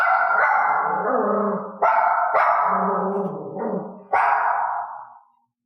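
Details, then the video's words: Barking dog, the subject of training to stop barking at strange noises or when left alone, gives a near-continuous run of loud, rough, harmonic barks, about four drawn-out ones back to back, each trailing off before the next. "تدريب الكلب ان لا ينبح"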